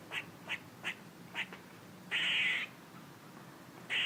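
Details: Squirrel noises: four brisk chirps, then a long grating buzz, with another buzz starting at the very end.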